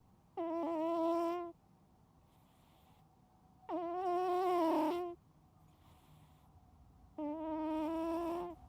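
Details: A sleeping pet cat snoring loudly, unedited: three tonal, nasal, buzzing snores, each about a second long and rich in harmonics, repeating roughly every three seconds, with faint breathy inhales between them in a quiet room.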